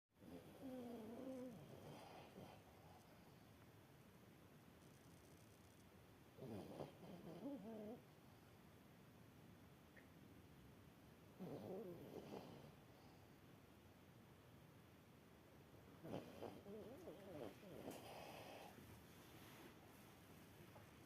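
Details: A sleeping dog snoring in slow breaths, each rumbling snore lasting about a second and returning roughly every five seconds against a quiet indoor hiss.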